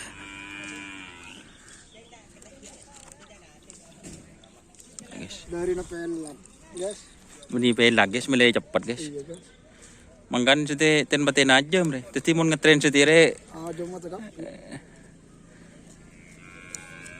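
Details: Cattle at a karapan sapi bull-racing training session, giving long, low, drawn-out moos around the middle and a longer bellowing run later, amid voices, crowd noise and scattered clatter.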